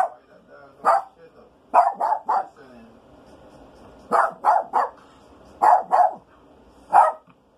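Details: Rico the Maltese sniffing around the house for a skunk, thought to be under the house during rain; sharp, high barks fired in clusters of two or three, about a dozen in all, with faint talking in the lulls.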